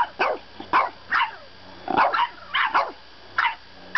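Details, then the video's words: A French bulldog puppy protesting bedtime lets out a string of sharp, high yaps in quick bursts, some doubled, roughly eight outbursts over four seconds with short pauses between them. "French Bulldog Puppy Argues Bedtime"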